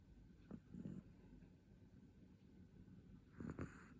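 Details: A sleeping Chihuahua snoring. Two low, breathy rasping snores are heard about three seconds apart, the second one louder, with a quiet room between them.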